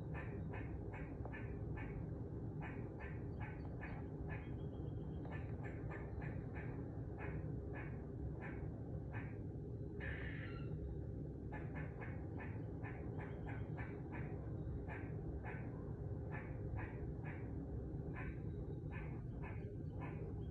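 A squirrel gives a fast, steady series of sharp chucking notes over a low background rumble.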